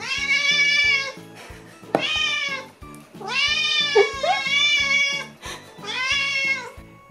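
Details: Rescued house cat of unknown breed, found about a year earlier, giving loud meows indoors: four drawn-out, high, strained meows, some wavering, over soft rhythmic background music.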